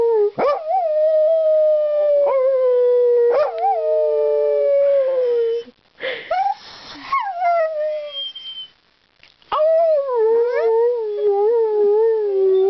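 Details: Ireland, a talkative dog, 'singing' in long sustained harmonic howls that waver and slide, with short yelps between and a brief break near the middle before the drawn-out tones resume.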